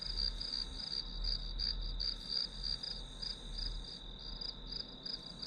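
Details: Grass insects trilling in regular high-pitched pulses, close to three per second, with a constant low rumble beneath the calling.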